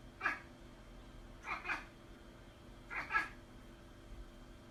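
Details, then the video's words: Domestic cat indoors making odd, short meow-like calls: a single chirpy call, then two quick double calls about every one and a half seconds, each bright and brief, over a low steady room hum. "Crazy Weird Cat Noises"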